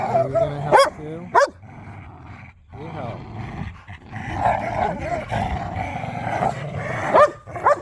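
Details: Pit bulls and a Malinois playing tug of war with a squeaky toy, romping and wrestling across a yard; steady low rumbling growls and snarls broken by a few sharp, high barks near the start and end, with laughter and talk nearby.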